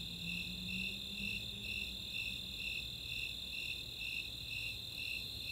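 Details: Summer night chorus of Snowy Tree Crickets and Four-spotted Tree Crickets in the open space of Chautauqua, Boulder, Colorado: high chirps pulsing about twice a second over a steady, higher continuous trill, with a faint low hum.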